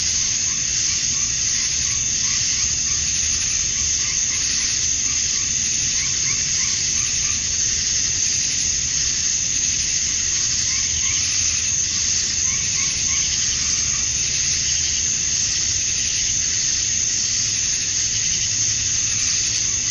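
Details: Cicadas at dusk on a summer night in Georgia, USA, males chirping to draw females; a steady high buzzing drone, with short lower trilled notes repeating in bursts beneath it.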